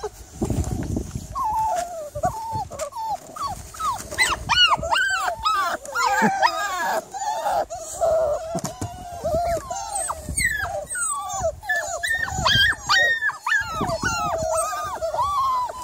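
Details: On the evening of 3rd July a Miniature Labradoodle keeps up an agitated stream of squeaky whimpers and rising yelps, some stacked with bright harmonics, broken by low thuds and handling noise.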